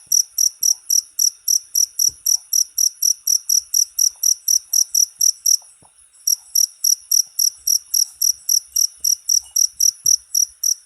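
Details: Cricket chirping, in a short recording meant for training songbirds: rapid, regular high-pitched pulsed chirps, about four a second, with one brief pause midway before the rhythm resumes. Otherwise clean.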